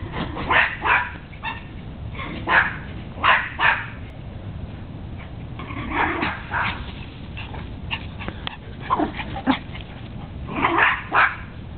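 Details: Four dogs named Sebastian, Napolean, Apollo and Zeus at play in a back yard one January morning, barking in bursts of two or three sharp barks every second or two, with quieter yips between.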